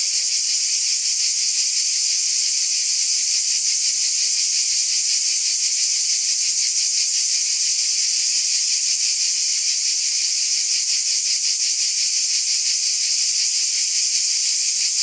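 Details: On a summer night, a large chorus of cicadas fills the air with a piercing, continuous electric buzz that throbs rapidly and evenly for the whole stretch.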